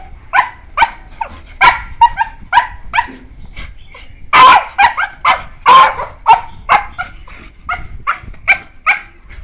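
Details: Two or more playing beagles aged one year four months give a steady stream of high, short yelps and yips, roughly two per second, with a couple of longer, louder barks in the middle.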